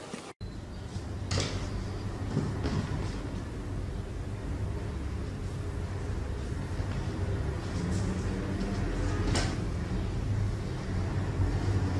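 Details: A steady low rumble like a running vehicle fills the recording, broken by a few sharp knocks and clicks, with no animal voice.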